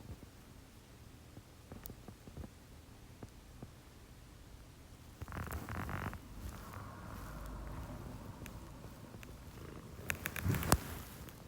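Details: Early-morning purring at 6 AM from one of two pet female cats, Chomi, a Scottish Fold, and Putico, a Munchkin. A low, even purr drones on while rustling bursts and handling noises break in around the middle and near the end.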